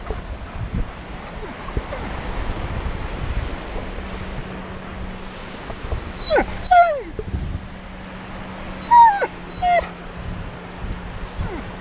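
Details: Tonka, an Alaskan Malamute at the beach, grows impatient sitting still and lets out two short, rising-then-falling whining howls, about three seconds apart, over a steady wash of surf and wind.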